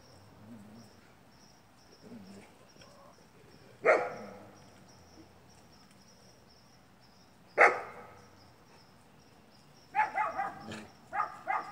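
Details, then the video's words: Great Pyrenees dogs Moose and Molly, two separated loud barks followed by a burst of quicker overlapping barks near the end, with a steady faint high tone behind. "Moose and Molly GREAT PYRENEES 2"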